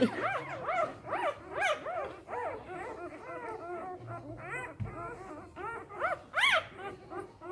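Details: Three-day-old Samoyed puppies from an A litter, whimpering together in a busy chorus of high, arched, squeaky cries, several overlapping, with rises and falls every half second or so and a few louder yelps near the end.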